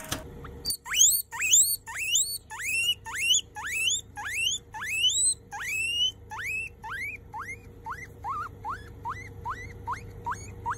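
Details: A baby grey guinea pig gives a run of loud, rising, whistle-like wheeks, about two each second.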